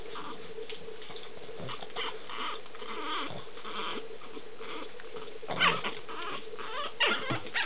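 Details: Boston Terrier puppies from one litter: brief, squeaky high whimpers, most clearly near the end, over steady shuffling and rustling movement and a constant low electrical hum.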